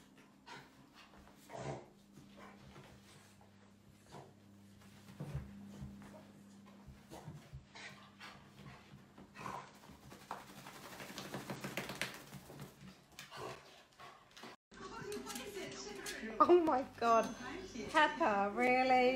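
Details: Playful Dachshund puppies: soft breathy panting and scattered small sounds at first, then bursts of high, quavering whines and yips with rising and falling pitch toward the end.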